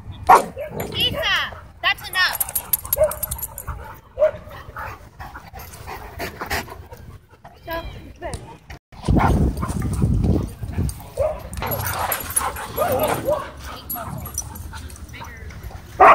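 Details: Dogs playing together at a dog park, giving repeated sharp barks and yips scattered through the recording, with rustling, scuffling and outdoor background noise, and louder bursts near the middle and end.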